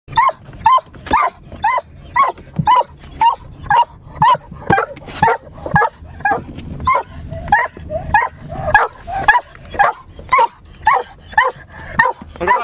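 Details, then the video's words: Hunting hound barking while chasing a hare, recorded from a car in Finland; loud, sharp barks repeat steadily about twice a second, sometimes doubled, with a few yips mixed in throughout. "jänisajoa autosta"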